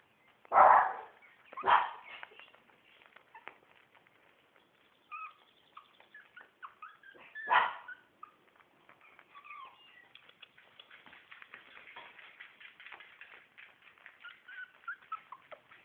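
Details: Four-week-old Shih Tzu puppies from one litter: three short yapping barks near the start, then a long stretch of soft overlapping squeaks and whines from the pups.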